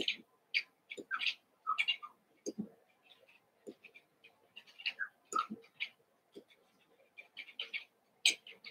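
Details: Eight Cavalier King Charles Spaniel puppies, Daisy's six litter merged with Robin's two pups, playing together indoors: short high squeaky yips and whimpers in quick irregular bursts, with soft thumps and scuffling between them.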